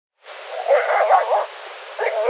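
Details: Wolf giving pulsing growl-like barks, a call often used by one wolf displaying dominance over another; harsh, rough bursts pulsing for about a second, a pause, then a shorter renewed burst.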